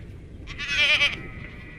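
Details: Garut goat giving one short, nasal, wavering bleat of under a second, bright and quavering, over a steady low background rumble.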